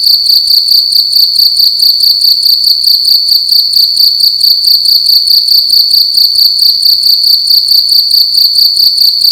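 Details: Loud cricket at night inside a room, giving a continuous shrill pulsed chirping, fast even beats of a high metallic tone without pause; nothing else stands out.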